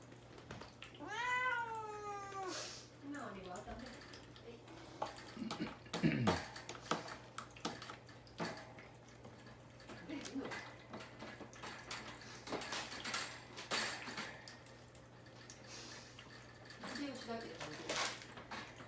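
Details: Mamedaifuku, a caged house cat fasting before neutering, opens with a wavering plaintive meow. Clattering and rustling noises fill the middle, and a fainter meow comes near the end, in a small indoor room.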